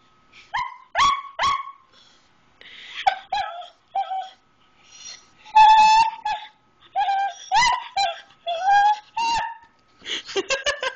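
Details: Pet dog indoors begging for grilled cheese: bursts of sharp yips and clipped barks alternating with short whining howls, in clusters with brief pauses between, while its owner refuses and offers the crate.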